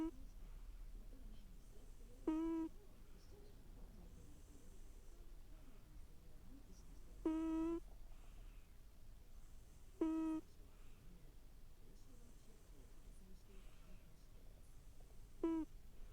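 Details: A sleeping pet cat snoring indoors in a quiet room: short, nasal, whistle-like tones, each under half a second, come every few seconds over a low steady hum.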